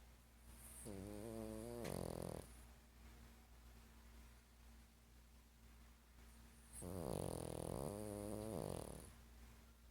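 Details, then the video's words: Sleeping, dreaming 12-year-old dog that snores every night: two drawn-out snoring bouts, each about two seconds of rhythmic, wavering nasal rasps with a brief hiss, separated by several seconds of quiet breathing and a constant low hum. ""Old Man" Dog Snoring and Dreaming"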